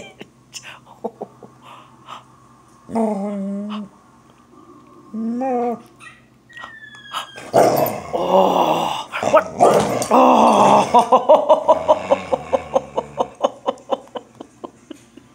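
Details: Border Collie excited while chasing squirrels, giving two drawn-out whines, then a burst of rough growling and barking that breaks into a fast series of short repeated yips, with laughter and talking nearby.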